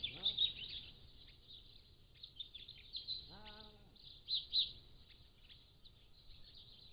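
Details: Pallas's cat kittens, 3 to 7 weeks old, recorded by a motion-activated trail camera: a short rising-falling harmonic mew at the start and a longer arched mew near the middle, with steady high bird chirping throughout.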